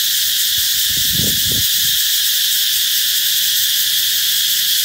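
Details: Cicadas shrilling to announce that summer is coming, a continuous harsh high buzz at steady loudness, with a few dull low thumps just after the first second.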